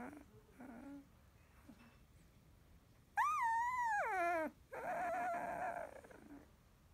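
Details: Sixteen-day-old field-line Labrador Retriever puppy, newly opened eyes, resting after nursing indoors; soft squeaks, then a loud rising-falling whine lasting over a second, followed by a strained, buzzy whimper fading out.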